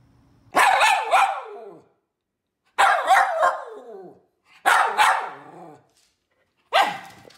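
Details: Poodle giving four harsh bursts of barking, most with two rapid yaps run together, spaced about two seconds apart against a quiet background.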